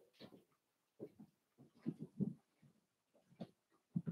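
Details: Four-week-old Cavalier King Charles Spaniel puppies from Daisy's litter, in their indoor pen, make soft low grunting and whimpering sounds. The short muffled bursts come in an irregular series, with quiet gaps between them.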